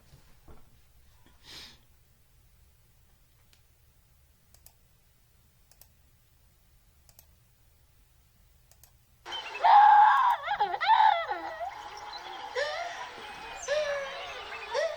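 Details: Gelada monkeys, which live in large groups, give wavering, tonal communication calls with rapid pitch swoops, rising and falling in quick, uneven bursts; tempo and rhythm changes mark feelings from happiness to anxiety.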